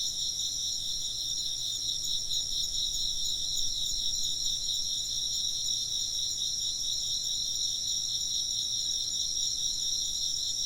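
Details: Insects chirping in a Japanese ambient recording made for work and sleep: a dense, steady high-pitched chorus in several stacked shimmering bands, pulsing quickly and evenly throughout, with faint low background hum.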